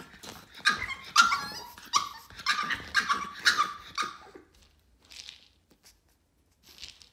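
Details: Tantrum of Yoda, a Boston terrier puppy aged 4 months, indoors: a rapid string of harsh, whiny barks and yelps for about four seconds, then a few faint scattered sounds in a quiet room.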